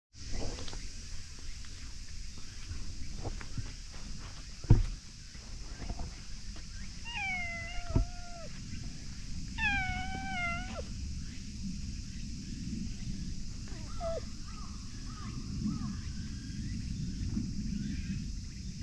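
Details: Stray ginger tabby cat in a park, petted after sleeping in the shade. It gives two clear, drawn-out meows that waver and drop in pitch, then a few shorter, softer mews, over steady outdoor background hum.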